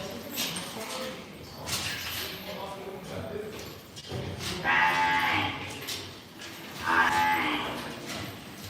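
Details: Calves of imported Angus, Limousin and Hereford stock at a buying, several short moos and bleating calls, two louder ones near the end, amid knocks and clatter.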